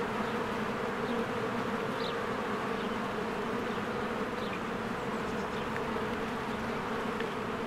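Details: Swarms of honeybees fly in and out of their hive in spring among blooming flowers. A dense, steady buzzing hum holds layered low tones throughout, with a few faint, brief bird chirps above it.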